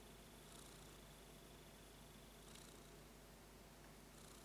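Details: Kitten purring while repeatedly yawning indoors; a steady, low continuous rumble under a faint hiss, with a thin high tone running through.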